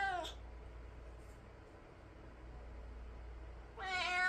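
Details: A pet cat reacting after hearing stray cats fighting outside: two harmonic meows, one at the start and one at the end, with quiet indoor room hum between them.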